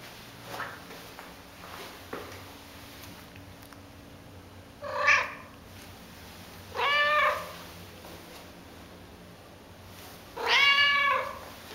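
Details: Female white-and-calico Domestic Shorthair cat awaiting adoption, using her musical trill-like meow as a greeting; three clear rising-falling harmonic trills spaced about two seconds apart after faint soft chirps, indoors with low background hum.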